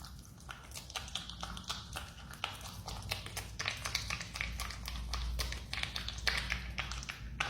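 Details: A marmot eating a banana: wet, crunchy chewing clicks come quickly and unevenly, several per second, over a steady low indoor hum.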